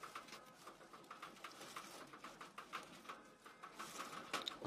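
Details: Abyssinian guinea pigs, a breeding pair kept indoors, the female having just borne three young before being separated from the herd; soft, short pulsed notes repeat about three times per second over faint rustling.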